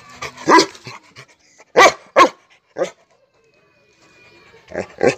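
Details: A Rottweiler gives deep, harsh barks in short bursts, angrily reacting to Diwali firecrackers.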